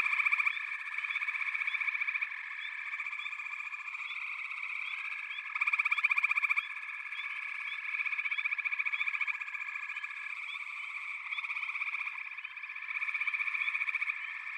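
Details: Many frogs calling together in a backwater, an unbroken pulsing buzz with intermittent louder rattling surges every few seconds and faint short upslurred notes above the drone.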